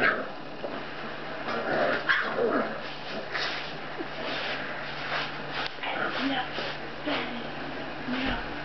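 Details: Six-week-old Basset Hound puppies playing before bed, giving short yips, whines and soft barks scattered through the scene, with scuffling and a voice in the background.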